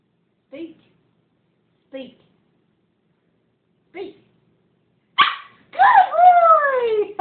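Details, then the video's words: Siberian Husky, indoors, learning to speak on command: three short spoken commands, then the dog answers with a loud, drawn-out howling 'woo-oo' whose pitch falls and wavers for about two seconds, rich in harmonics. "the talking Husky"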